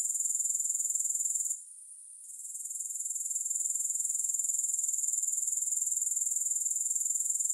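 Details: Shrill, evenly pulsed grasshopper trilling at constant high pitch, dropping out briefly after the first second and a half, then building back to a steady chorus.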